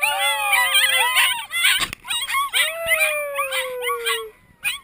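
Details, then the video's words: Sled dog puppies learning to howl, recorded in September 2012 at a dog sled tour. Several young voices overlap in wavering, sliding howls with bright harmonics, broken by short yips and whines. One long steady howl slowly falls in pitch near the end. "puppies learning to howl"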